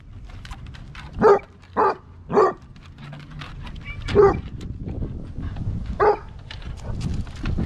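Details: Basset hound living with three cats, giving five short gruff barks spaced irregularly over several seconds, with background rustling and faint noise.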